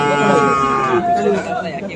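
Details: Friesian and crossbred bull calves at Aftabganj market, Dinajpur, 10 December; one loud, rich harmonic moo bends downward within two seconds, backed by nearby voices and general market bustle.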